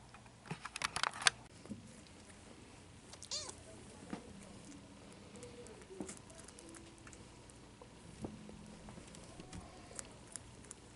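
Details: Bengal kittens at three weeks old, born February 2016 in Madison, Wisconsin, make soft, rising-falling mews scattered through the recording, with clicks and rustling of movement between calls.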